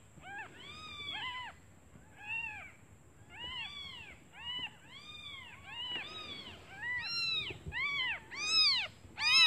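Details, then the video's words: Hungry newborn kittens crying for their absent mother, who left to search for food; rapid overlapping arched mews, growing louder and higher toward the end, over a thin constant high tone. "Suara anak kucing memanggil ibunya"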